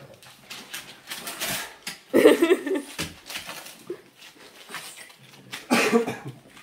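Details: Yoda, a Boston Terrier, "reads" aloud with two short, whiny, grumbling bursts about three and a half seconds apart, separated by quiet rustling.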